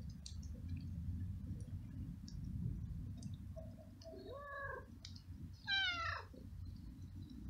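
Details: Hungry stray cat that lives alone on the street, eating flying ants in the rain; a soft chirping meow followed by a sharper, higher descending meow, with faint clicks and steady low background noise.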